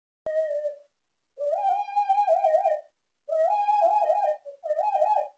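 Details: Duncan, a miniature schnauzer, howling in his sleep: a short tonal note, then three longer wavering, high-pitched howls with a whistle-like quality, the later ones wobbling up and down, separated by brief silences in an otherwise quiet room.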